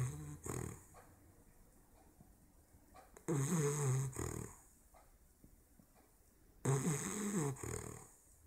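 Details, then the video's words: Sleeping English bulldog puppy aged 16 weeks snores in a small room, giving three harsh, low, buzzing snorts about every three seconds, with soft breathing between them. "the bulldog snoring"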